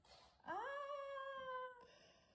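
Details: Australian Shepherd, a 25 kg medium-sized dog, asked to vocalize while its loudness is checked with a noise-meter app indoors; a single drawn-out tonal howl-whine, rising then held steady about a second before ending abruptly.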